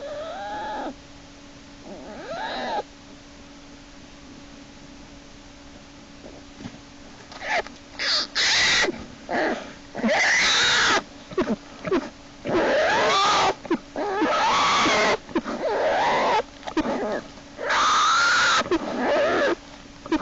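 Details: American black bear cub Jason in Lily's den, 1 March 2011, screaming and kicking as yearling Hope drags him back inside by his back leg; arched harmonic wails, then loud harsh scream bursts every one to two seconds over a steady hum.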